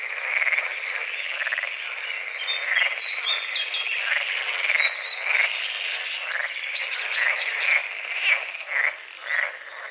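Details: Dawn frog chorus over a misty small lake beside a forest: continuous grating croaks pulse in uneven bursts, a few louder calls standing out near the end, with light bird twittering above.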